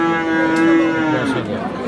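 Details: Friesian heifer calf at the Aftabganj cattle market in Dinajpur, Bangladesh, 26 October: the end of a long, even-pitched lowing moo fading after about a second, with crowd noise and voices of traders behind.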